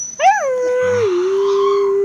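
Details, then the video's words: Young Siberian husky puppies howling: one long, smooth, steady howl that rises briefly, then holds level before dipping slightly and holding again, with faint background hum. "Husky siberian howling"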